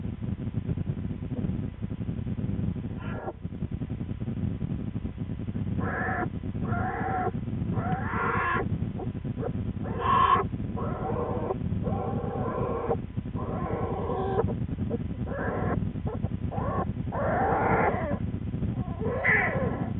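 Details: Twin American black bear cubs with their mother Lily in the den on February 13, 2013; one cub complains loudly, rousing her. Harsh, harmonic squalling bursts repeat through the clip in uneven runs over a steady low rumbling hum.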